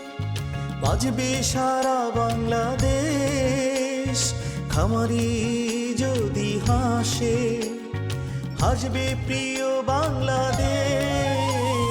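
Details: Bollywood-style folk song, a wavering vocal melody over steady drums and instruments throughout, with no animal sound present.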